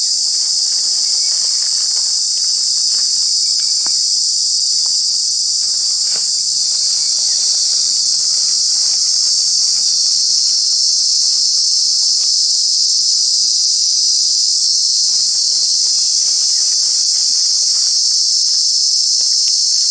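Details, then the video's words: Cicadas, true bugs with very loud voices, in Kanha National Park in the summer months: a piercing, unbroken high-pitched drone that swells and eases slightly, with faint patters and rustling underneath. "Cicada, Cicadas are true bug with very loud sounds"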